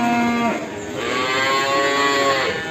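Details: Cattle on a farm in Ambarketawang, Sleman, in the morning. A short, low, harmonic moo opens, followed by a longer drawn-out bellow rich in overtones that fades at the end, over a steady background hum.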